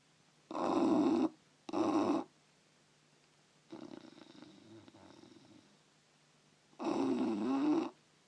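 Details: A bulldog snoring in its sleep, with loud harsh rattling snores, two in quick succession, then a long soft wheezing breath and another drawn-out rasping snore near the end.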